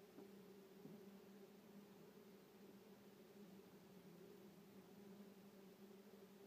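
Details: Common wasps (Vespula vulgaris) at a nest in a shed drawer, being disturbed: a steady, quiet, droning buzz with a low hum and a fainter higher overtone, held unbroken throughout, with no other sounds.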